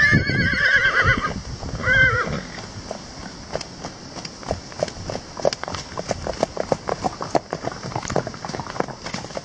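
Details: Wild horses: a loud harmonic whinny with wavering, tremulous pitch opens the recording and ends near two seconds, followed by steady rapid hoofbeats of running horses.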